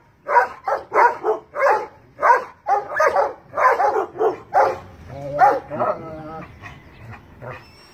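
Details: Large dogs aim a volley of harsh barks at a cat perched in a tree, quick repeated barks that slow and fade into a few whining notes and quieter sounds toward the end.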